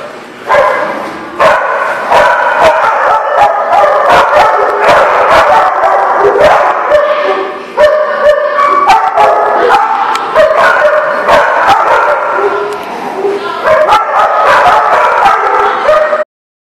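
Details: Several dogs at The Barking Lot, 5/11/18, barking and yipping almost without pause, overlapping sharp yelps with short gaps near eight and thirteen seconds.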